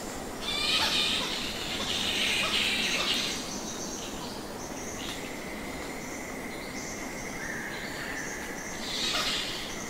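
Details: Thousands of nectar bats roosting in Goa Lawah cave, Bali, Indonesia: dense high squeaks and squawks swell in bursts near the start and end, with a thinner steady chatter and a hissing cave ambience between.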